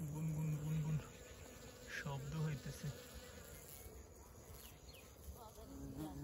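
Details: Close-range buzzing of honey bees collecting nectar in a field swarming with countless bees: a loud low hum that swells and breaks off near one and two seconds, then returns more softly, with faint chirps higher up.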